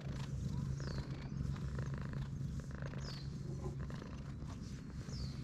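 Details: Stray cat, at first timid, turning affectionate as its head is stroked, filmed outdoors on a GoPro HERO8; a low, steady, pulsing rumble of purring runs throughout, with faint high descending chirps from birds in the background.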